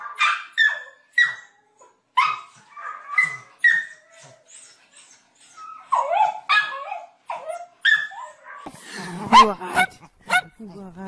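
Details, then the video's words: Dogs in a funny compilation barking in short, sharp, bright bursts, several per second in quick runs with brief pauses, followed near the end by human voices and laughter. "Most funny dog barking videos compilation ♥ Dog Barking Sound Funny Dogs"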